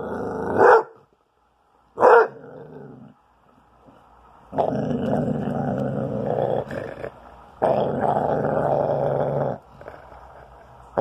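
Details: Year-old spayed female Basset Hound, upset and protecting her bone while being teased indoors. Two sharp yelping barks come first, then two long, rough, rumbling growls of about two seconds each, separated by short pauses.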